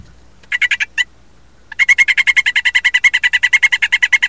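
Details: Male golden poison frog of the mint form calling to attract females: two short buzzy pulse bursts, a pause, then a long, even trill of rapid chirping pulses, about seven per second.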